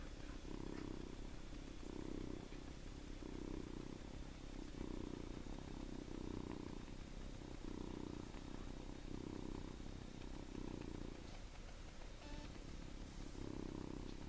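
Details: Seven-week-old farm kitten sleeping in a person's hand, snoring or purring in steady low rumbling pulses about every second and a half, each breath a soft buzzy burst over constant background hiss.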